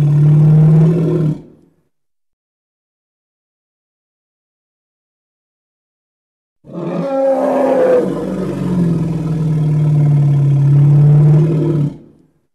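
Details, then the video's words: Hippopotamus calling: a short, loud, deep harmonic roar, a long silence, then a longer rasping bellow that starts higher and settles into a low, steady drone before cutting off. "Hippo (Congo) Sounds"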